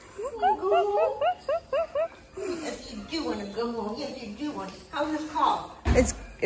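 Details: Belgian Malinois named Winston reunited with his owners: a quick run of high, harmonic whines and yelps, rising and falling in rapid succession, then people talking excitedly indoors with a sharp knock near the end.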